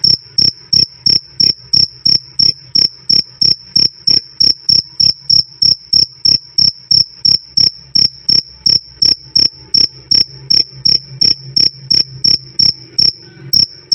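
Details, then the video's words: Continuous "krik krik" of a jangkrik cricket, loud and clear: repeated brief high-pitched chirps, nearly three per second, keeping an even beat, with a faint low drone in the background. "Suara Jangkrik "Krik Krik" Keras Dan Jernih"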